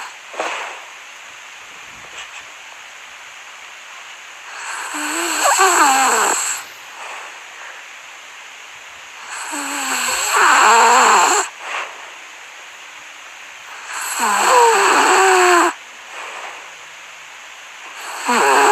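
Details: Sleeping dog making noises in its sleep: soft, whiny, wavering squeaks and breathy sounds come in bursts of about two seconds, separated by quieter pauses, with a steady background hiss.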